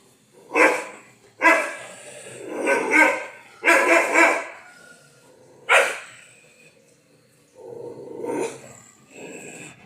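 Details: Heavy-boned Rettaikuruthu Kanni dog barking: a series of sharp, harsh barks, some in quick pairs, with growly lower sounds in between.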